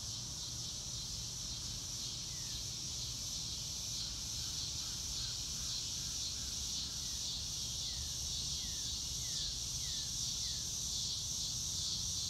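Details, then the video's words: Crickets in a natural outdoor setting under a blue sky, a steady high shimmering chorus that hums on without a break, with a few soft descending bird notes at middle pitch partway through. "Nature Sounds - Real Time - No Music - Meditation - Crickets"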